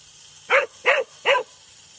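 A Cocker Spaniel gives three short, sharp barks, evenly spaced, asking for water.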